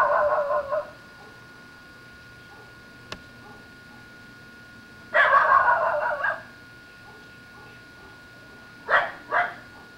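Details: An excited Basenji, a breed rarely heard barking, gives a few short, harsh barks separated by quiet pauses, recorded through a metal screen door without the dog knowing.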